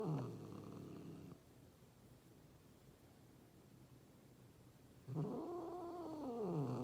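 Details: Angry, threatening cat: a low moaning growl that swells and bends down in pitch, cut off, then after a quiet gap a second drawn-out yowling growl rises and slowly sinks, rich in overtones.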